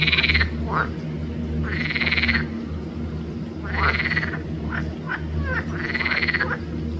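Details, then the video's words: At Arboretum Volčji Potok, 5 June 2024, green frogs (Pelophylax) repeat buzzy, pulsed croaks about every two seconds, each followed by quick short clucks, with a low steady drone beneath. "Pelophylax sp. ZELENA ŽABA"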